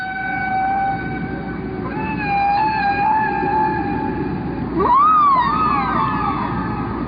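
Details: Humpback whale song from the Atlantic, 2004, its patterns lasting fifteen minutes before repeating: long, steady tonal moans rich in overtones, then a sudden rising swoop into a wavering, bending whistle-like cry.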